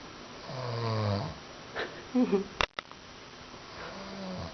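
An English Bulldog snores in deep, raspy, rumbling breaths, each a long buzzy drone with a rattling edge. A brief human voice and a couple of sharp knocks break in midway.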